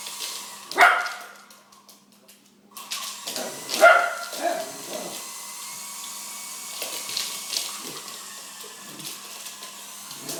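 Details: Pet dog Chase, fond of helicopters, gives two loud barks roughly three seconds apart at a bigger helicopter, followed by softer yips under a persistent whirring mechanical drone.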